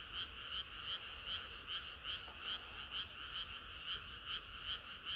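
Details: Frogs singing together through a hot summer night, with a nearby frog giving regular, bright two-toned croaks about two and a half per second over a dense, buzzing chorus of others.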